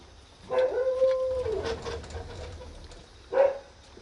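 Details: Akita puppy strolling in a garden; a drawn-out, steady whining howl lasting about a second, then a short second whine after a pause, over low background rumble.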